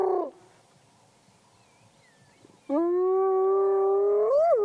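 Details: Spotted hyena in the wild in Africa, resting in long grass beside the road near a vehicle, 12-1-2017: the falling tail of one whoop, a quiet gap, then a long even whoop that swoops upward at its end.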